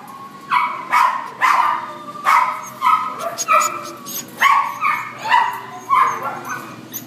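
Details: Black and tan Chihuahua at a shelter in Devore, giving repeated yappy barks roughly every half second to second over a steady background hum, with other dogs and voices possibly mixed in.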